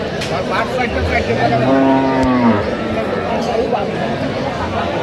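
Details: Moo from cattle at the Aftabganj haat livestock market, dated 11/10/25, where cows and calves are traded: a single bellow of about one second that sags in pitch at the end, over crowd noise and a few voices.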